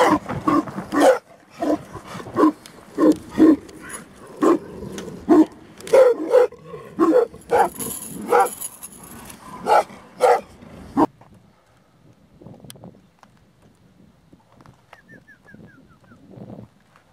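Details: Aboriginal Tibetan Mastiff, Do Khyi of Tibet, a guard dog. Deep barks repeat roughly every half second for about eleven seconds, then stop, leaving near silence with faint scattered sounds.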